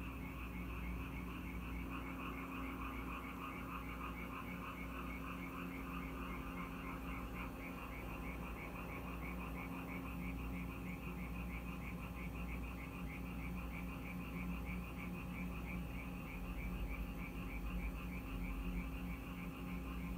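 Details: Rainy-night frog chorus at a house in Korea: many frogs give quick trains of rattling croaks that merge into a continuous pulsing wall of sound, with a constant low background drone.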